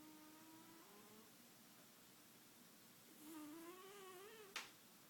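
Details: Sleeping female pet cat snoring indoors in a quiet room: a soft whistled tone held for about a second, then after a pause a longer, wavering whistle that rises slightly, ending with a sharp click.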